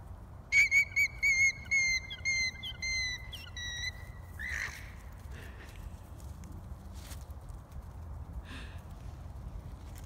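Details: Alarm call of a worried alpaca: quick run of high, whistle-like notes, about three per second, fading and dropping slightly in pitch over four seconds, followed by quiet low background noise with a few faint scattered sounds.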